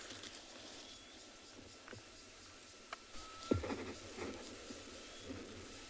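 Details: On an afternoon safari drive in a South African game reserve on 12 November 2020, sharp, dry clicks pop out irregularly, about five in six seconds. They come from tamboti seeds as caterpillars inside flick about before pupating, over a faint whistle, cicadas and bush hiss.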